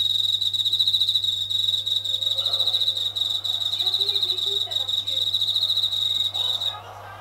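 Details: Japanese katydid singing at night from near a kitchen ceiling indoors, where it has called for many days; a steady high buzzy trill of rapid pulses runs unbroken until it stops near the end, over a low constant hum and faint household sounds.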